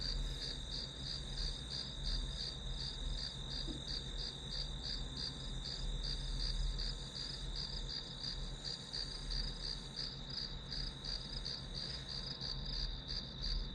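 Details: Grass insect sound for a one-hour study record: an even high-pitched ringing with steady rhythmic pulses throughout, layered over a constant deep hum.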